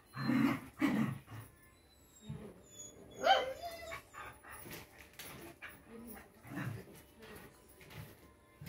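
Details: Rottweiler puppy giving a couple of deep short barks at the start and another yelp midway, with softer grunts and scuffling between them in an indoor setting.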